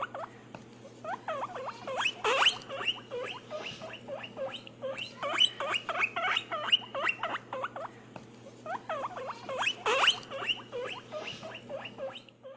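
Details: Pet guinea pigs squeaking in quick bursts of short, chirping notes, with louder peaks every few seconds and small pauses between runs, over a steady low electrical hum.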